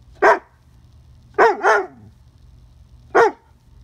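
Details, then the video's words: Drache, a female Doberman puppy, barking at a beetle on a fence: four sharp barks, the middle two in a quick double, spaced over about three seconds, with a low steady hum underneath. "Puppy Barks at a Bug"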